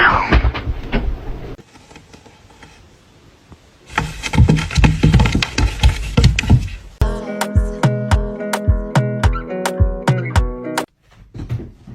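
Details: Loud music in shifting sections, guitar-driven and then plucked and percussive, fills the recording with no animal voice.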